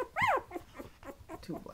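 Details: A 20-day-old Patterdale Terrier puppy lets out one loud arched whine, rising then falling, followed by several softer short whimpers, indoors.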